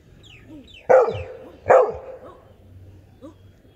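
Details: Labrador Retriever, an adult dog, giving forceful barks: two loud, rough woofs under a second apart, then a faint short yelp-like sound after a gap; the background is otherwise quiet.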